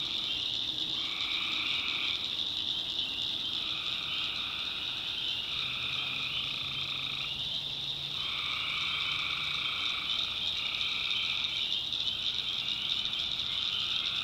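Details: Tree frogs calling together after dark in the North Carolina backwoods, a steady high ringing trill carrying throughout while lower paired droning notes come in stretches of two to three seconds separated by short pauses.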